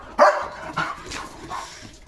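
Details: Leo, a pet German Shepherd, playing and running at speed, gives one sharp, loud bark followed by two softer, shorter yelps about half a second apart, with faint background noise.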